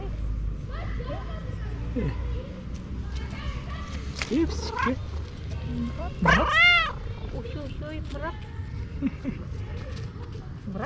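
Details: Female pet cat meowing and trilling at the same time: soft chirpy notes early on, then one loud, rich, arching meow rising and falling midway, amid people talking to her and background music.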